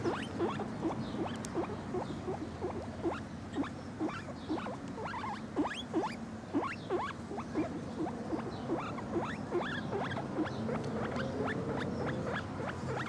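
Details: Lemon, a male Lemon Agouti guinea pig kept as a pet, gives a long run of short rising squeaky whistles, about two or three each second, irregularly spaced, over a low steady background hum.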